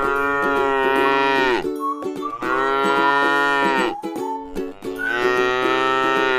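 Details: Tame cattle resting in a rice field give long, deep, harmonic moos, each about a second and a half, three of them separated by short pauses, over steady plucked background music.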